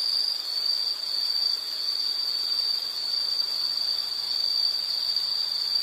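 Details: Nature recording of an insect giving a sustained, even, high-pitched trill without pauses, over a low wash of background hiss.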